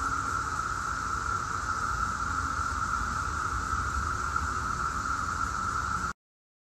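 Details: Daytime chorus of Brood X periodical cicadas, the 17-year brood, recorded in Chantilly, Virginia, near Washington, D.C., in 2021. A dense, unbroken, even droning hum holds steady throughout before the sound cuts off abruptly.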